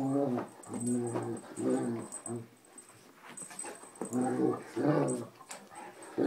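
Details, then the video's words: Large Anatolian Shepherd dog play-fighting gently indoors with a small rough-playing rescue dog; deep, rumbling bear-like growls and groans in repeated bursts, with higher whines and faint human voices in a small room. "sounded like a bear"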